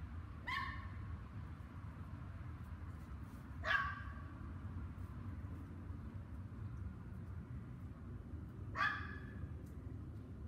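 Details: Several dogs keep barking on the evening of May 24, 2019, from 7 PM onward for two hours; three single, somewhat distant barks spaced about three to five seconds apart above constant low-pitched background hum.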